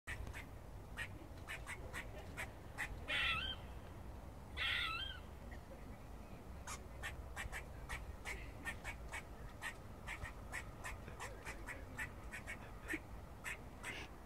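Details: Squirrel barking in a Cambridge college grounds: short sharp dry chucks repeated roughly every half second throughout, broken by two drawn-out nasal moaning calls with wavering tone near the three-second and five-second marks.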